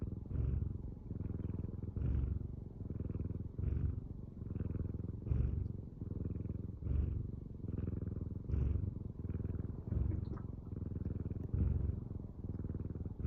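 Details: Pet cat purring in a low, continuous vibrating rumble. It grows louder on each breath in a regular cycle of roughly 36 per minute, with brief soft dips between swells and a quiet background.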